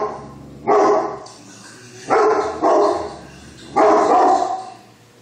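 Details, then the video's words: Great Pyrenees Lacey barking with Newfoundlands nearby, four loud deep barks, two coming close together, spaced irregularly over a few seconds. "Great pyrenees barking"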